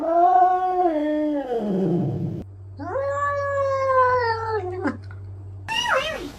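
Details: Cat giving two long, drawn-out meows, each rising and then sliding down in pitch, followed by a short, sharp, falling meow at the end; a low steady hum sits beneath, indoors.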